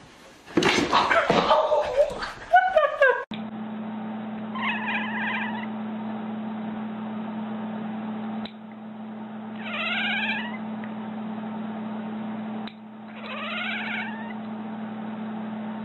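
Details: Kitten gives three drawn-out, bending meows spaced about four to five seconds apart over a steady low electrical hum, after a brief burst of loud, noisy clatter at the start.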